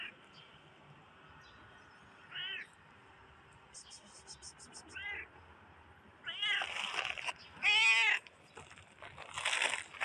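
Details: Black cat, apparently a stray, producing several short, curved, high-pitched meows, the later ones louder and longer, along with rustling noise and a brief rapid series of clicks.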